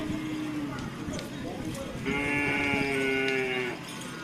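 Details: Cattle during karapan sapi bull-race training in Asemanis, Pamekasan: one sustained, fairly high, steady moo of about one and a half seconds rising out of background chatter and crowd murmur.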